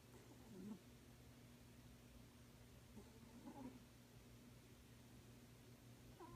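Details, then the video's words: A sleeping cat snoring: soft, faintly squeaky breathy puffs recur roughly every three seconds, at about 0.7, 3.5 and 6.3 seconds, over a steady low indoor hum in a quiet room. "Snoring kitty"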